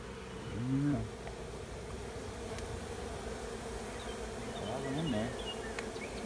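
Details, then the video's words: Honey bee swarm moving into an empty hive at the end of a driveway: a steady low hum fills the air while single bees zoom close past around the first and fifth seconds, with faint bird chirps in the background. "Honey bee swarm moves into an empty hive in my driveway"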